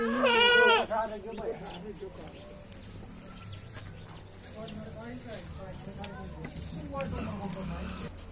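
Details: Goats offered for sale in Lucknow, India: a loud, quavering bleat fills the first second, followed by people talking and background chatter with a few fainter animal sounds.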